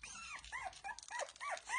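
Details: Nineteen-day-old Lagotto Romagnolo puppies, eyes now open, utter thin high whimpers that arch up and drop, about five in quick succession over a soft hiss.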